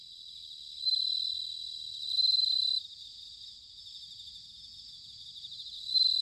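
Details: Bell cricket singing in autumn, recorded in Sanuki, Chiba, Japan: high, bright ringing trills in pulsed bursts of about half a second, three bursts over a steady background chorus of faint insect trilling.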